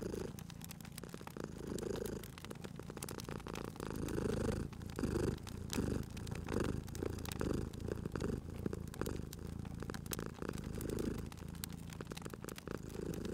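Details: Purring cat near a fireplace, the deep continuous rumble pulsing with inhale and exhale every second or so, accompanied by crackling, popping firewood, dense at the start and sparser later.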